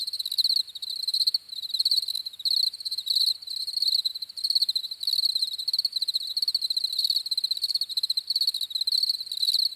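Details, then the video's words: Several crickets keep up a bright, ringing chirp, rapid pulses bunched into short bursts that follow one another almost without pause against a quiet background. "CRICKETS CHIRPING SOUNDS"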